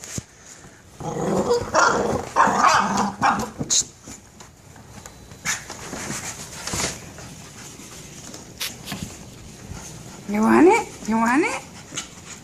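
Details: A pet dog attacking and playing with a pink ball. Rough, growly bark bursts come early, then a quiet stretch with scattered thumps, and near the end two short, high, wavering whimpers that rise and fall.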